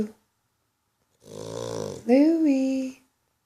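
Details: King Louie, a sleeping dog, snoring indoors: one rough, buzzy, rattling breath of about a second, then a voiced groan that rises and falls, with silence on either side.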